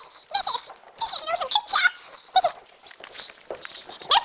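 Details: Female pug puppy attacking her owner, biting at him, making bursts of high, squealing, harmonic growls and yelps in quick runs, mixed with the owner's pleading voice.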